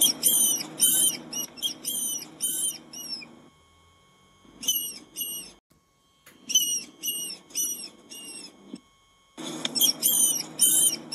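A rat gives bursts of shrill, thin squeaks, chittering rapidly in quick runs separated by pauses.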